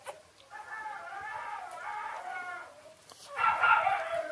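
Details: Six-day-old Shiba Inu puppies, Ôkami and Ikkyu, give a wavering, harmonic whine that runs for about two seconds. After a short pause comes a louder, higher squeal that lasts through the final second.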